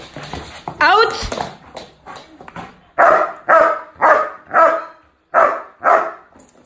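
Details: A Doberman puppy gives a run of short, sharp barks on command while learning a hold-and-bark exercise with a young child trainer, whose voice is heard early on.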